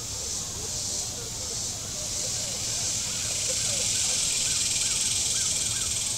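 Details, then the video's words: A continuous shrill drone of cicadas along the shoreline of Table Rock Lake in southern Missouri on a hot day, unbroken and even throughout, with soft repeated rising-falling chirps from a bird beneath it. "Boating Lake Sounds and Cicadas"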